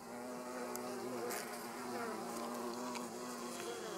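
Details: A hornet eating a bee at a beehive entrance gives a steady, low wing buzz with layered harmonics.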